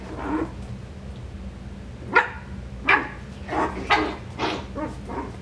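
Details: Coton de Tulear puppies in a breeder's litter barking indoors, six or so short high yaps spaced irregularly about every half second to second, the louder ones sharp and clipped, with a low hum underneath.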